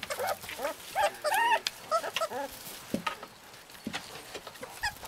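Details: Husky puppies in Lapland, short bursts of high, bent yelps and whimpers clustered in the first seconds, then scattered softer squeaks and clicks.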